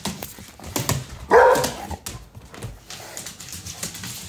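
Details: A female Redbone Coonhound, scared by her owner, lets out a single loud, slightly wavering, bawling bark, calling her Doberman companion for help. Faint background noise fills the quiet.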